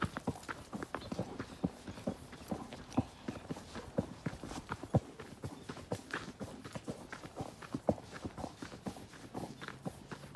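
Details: Horse walking with a rider on a nature trail, dense clip-clopping hooves with a few louder accented strikes, over a soft steady background hiss.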